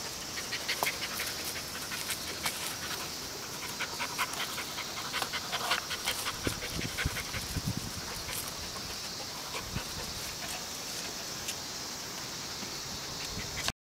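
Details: An English Springer Spaniel pants rapidly in quick, breathy bursts, with occasional soft thumps, while playing a strange game.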